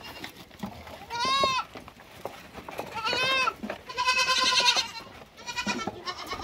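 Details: Lambs uttering a quick run of bleats: an arched harmonic bleat, a second similar one, a longer, loud, trembling bleat, and a final shorter bleat, with steady low background noise.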